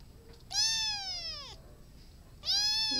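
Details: Two separate cat meows, about two seconds apart, each loud and tonal. The first lasts roughly a second and curves down at its close. The second starts with the same bright, slightly rising onset. The room is otherwise quiet.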